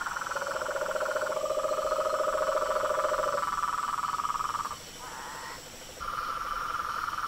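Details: Frogs and toads in a chorus: two steady overlapping trills, one low and one higher and louder, holding for seconds; the higher trill breaks off, returns briefly, then resumes.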